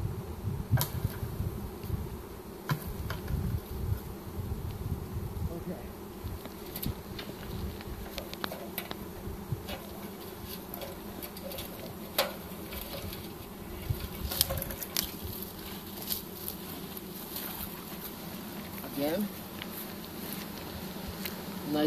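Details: Swarm of honey bees being captured with a pole bucket on March 25, 2015; dense low humming drone of many bees, fuller and deeper at the start, with scattered clicks and bumps throughout.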